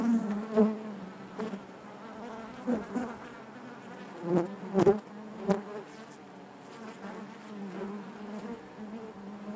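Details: Honey bees droning in their hive, a continuous low buzz punctuated by several short, sharp knocks or close passes, clustered around the middle of the stretch.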